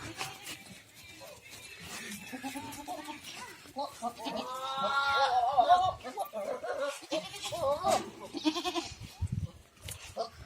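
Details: Goats at a farm in Ajmer, Rajasthan, India: wavering, harmonic-rich bleats rise out of the mix around the middle, with people talking throughout and other farm noise.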